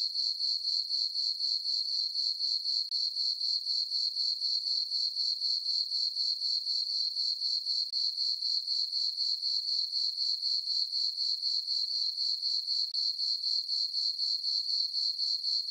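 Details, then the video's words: Crickets in a farm meadow at night in summer, full moon overhead, keep up a continuous shrill trill with a rhythmic pulse near four beats per second; no other animals, wind or voices intrude. "Cricket chirping sounds for sleeping"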